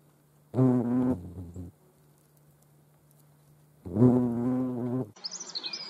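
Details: European hornet (Vespa crabro) at a feeding place shared with ants, Dohr, Eifel, 28 July 2022: two loud, low droning buzzes, each over a second long, separated by a quiet pause with a faint steady hum, then brief high bird chirps.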